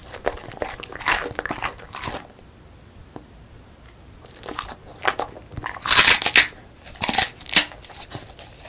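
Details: A female beagle, born December 2016, crunches a crisp puffed rice snack, sharp brittle bites in bursts with pauses.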